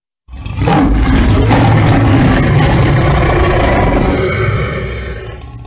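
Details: Lion giving one continuous harsh, low roar lasting about five seconds, rising quickly to full strength and slowly fading at the end.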